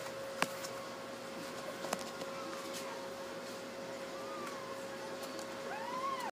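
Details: Newborn Basset Hound puppies on their birth day, one of a litter of ten (two females, eight males) lying with their tired mother; a short thin rising whimper midway, then an arched squealing whine near the end over a steady low hum.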